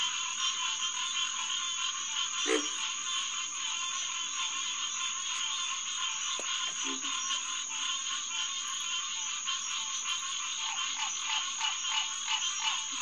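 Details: A dense chorus of green tree frogs (Hyla cinerea), many nasal, honking calls repeated rapidly and overlapping, at a pond around 9–10 pm on 2 June 2021, in a wildlife refuge near road traffic.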